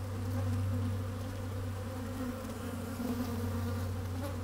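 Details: Honey bees working at an opened hive on a fine, sunny day, microphone slid down inside: a steady low droning hum with layered bands, slight wind rumble underneath.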